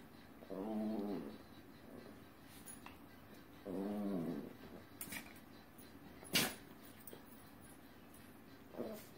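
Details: Dancing Chihuahuas, two of them, produce three spaced wavering growl-whines over several seconds, with sharp clicks, a short final yelp, and faint speech in the room.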